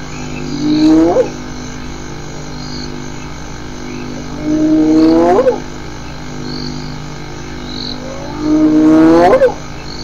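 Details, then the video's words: Hyenas giving whoop calls: three rising, upsweeping whoops about four seconds apart, each sliding from low to higher pitch and ending abruptly, over a steady hum. "Hyenas some vocalizations collection 1"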